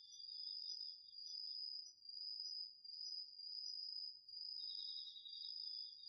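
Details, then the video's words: Crickets and other autumn insects singing at night in a garden vegetable field, recorded with a DR-40X: two steady high pulsed trills overlap, one dropping out briefly and then returning, with a faint low rumble beneath. "秋の虫の声 ASMRでおやすみなさい 〜虫の音を枕元で聞いてね〜 こおろぎ他"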